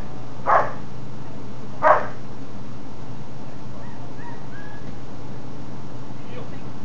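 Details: German Shepherd Johann, training for Schutzhund protection and a SchH 1 trial, gives two loud, sharp barks about a second apart during bark-and-hold practice, then fainter sounds over a constant low hum.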